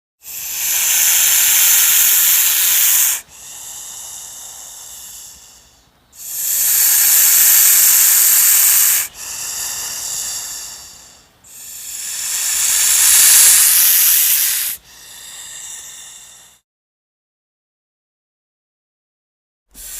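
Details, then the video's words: King cobra hissing and breathing very heavily as a warning signal. Long, loud, breathy hisses of about three seconds alternate with softer, quieter breaths, repeated several times before a silent pause near the end. "Real hissing sound of a King Cobra (ராஜநாகப்பாம்பின் உண்மையான சீறும் சத்தம்)"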